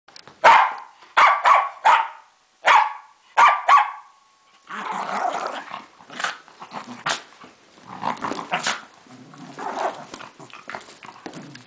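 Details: Female Welsh Terrier at home playfully attacking a toy lion, gentle despite seeming violent: a run of sharp, loud barks in quick bursts, then rougher, noisy growling and snarling, with a person speaking briefly.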